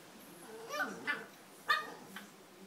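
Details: Bullmastiff puppies at bedtime, filmed in close-up; a few short high whimpering yelps with harmonic overtones come in separate bursts, the loudest near the middle, over a quiet indoor background.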